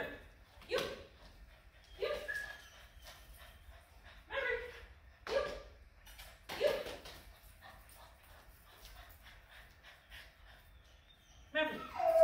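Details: Maverick, a five-month-old French Bulldog in off-leash obedience training in Georgia, gives about six short, sharp barks spaced roughly one to one and a half seconds apart, ending in a higher, tonal yelp over a quiet background.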